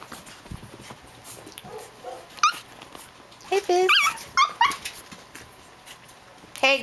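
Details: Japanese Chin puppies, female, playing together: high, squealing yips and whines with sharply bending pitch, clustered in quick bursts with a final rising squeal, over a woman's voice calling to them.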